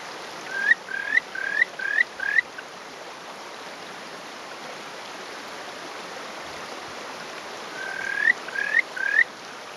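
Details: Territorial male Buergeria buergeri perched on a rock, filmed one May 2018 morning in farmland near Hofu, Japan. Two clusters of quick, upward-sliding whistles, five then four, sound against continuous flowing water.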